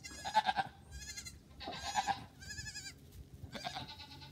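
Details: Goat on a farm bleating in four bursts of about half a second each, nasal and wavering with rich harmonics and a trembling, quivering tone, spaced roughly a second and a half apart.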